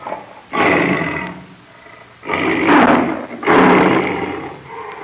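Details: Lion roar given as three rasping, breathy bursts about a second apart, each swelling then fading, with harsh broadband texture and little deep rumble.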